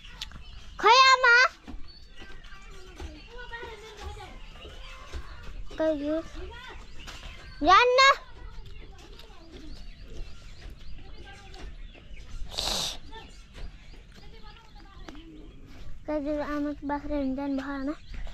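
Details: Billy goat bleating in several wavering, nasal bursts: two loud calls near the start and middle, softer ones between, and a pair of long level bleats at the end, with people talking and rustling in the background.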